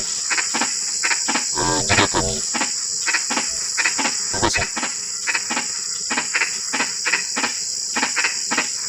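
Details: Frogs calling during drizzling rain give short, dry, clicking croaks repeated rapidly and unevenly. A brief, deeper, rasping croak sounds early on, over a constant shrill insect drone.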